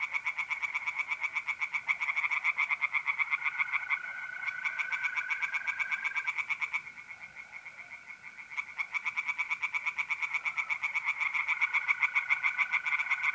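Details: Tree frogs singing in a pond on an April night in north-east Italy, a dense chorus of fast, rattling croaks around four per second, overlapping callers, with a steady continuous trill of mole crickets running underneath.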